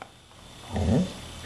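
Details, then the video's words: Dog coaxed by its owner to say hello in a funny talking-dog compilation; a short low grumbling growl rising and falling in under half a second, with praise spoken around it. "Funny Talking Dogs Trying to Say "Hello""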